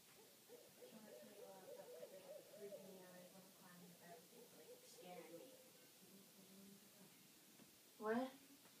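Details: Coyotes calling at night in a yard in front of woods: faint, distant, overlapping wavering howls and yips form a continuous chorus. A sudden louder sharp sound comes near the end.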